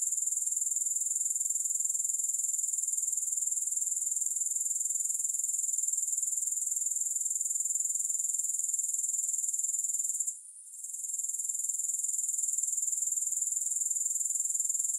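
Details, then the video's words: Grasshoppers trill continuously in a soothing, music-free recording: a shrill, high, rapidly pulsing buzz at constant volume, with one brief dip about two-thirds through before the chorus resumes unchanged. "3 Hours of Grass Hopper Sounds"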